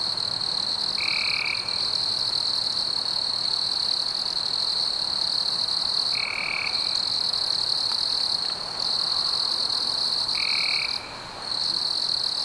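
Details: Insects in a night forest: a steady high shrill drone runs throughout, broken by brief gaps, with three short whistled notes repeating about every four to five seconds above the continuous buzz.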